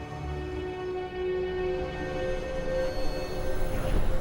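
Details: Dramatic orchestral music with sustained tones and a low rumble builds steadily, with no animal voice heard.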